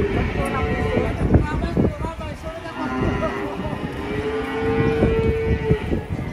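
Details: Cattle being loaded onto a truck, a long drawn-out moo rising and holding steady near the end, with shorter lowing earlier, over clattering knocks, vehicle rumble and human voices.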